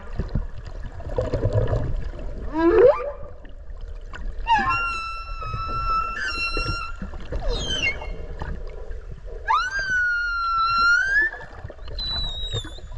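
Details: Underwater whale song recorded near Okinawa while swimming alongside: a swooping upsweep, then long whistled tonal notes held steady or slowly rising, separated by short gaps, with water rumble beneath.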